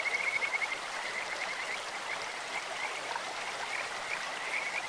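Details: Kajika frogs calling in a clear stream, a bird-like voice: high, pulsed trills open the clip and return near its end, with softer chirps between, all over the steady hiss of rushing water.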